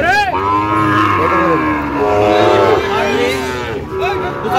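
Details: Sahiwal bull calf in Rangpur, bought by a farmer on 5 December, gives one long, steady, tonal moo lasting over two seconds, then a shorter low call, with people talking in the background.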